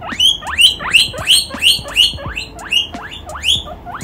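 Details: A baby guinea pig gets excited at seeing a chinchilla and chases it, wheeking loudly in quick repeated squeals, each one sweeping sharply upward.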